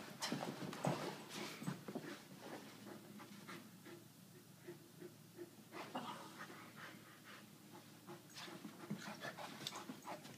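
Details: Playful Irish Wolfhound, Brogan, with Millie, an Aussie-Doodle puppy; airy panting in quick bursts, clustered at the start and the end, quieter in the middle, with some light rustling.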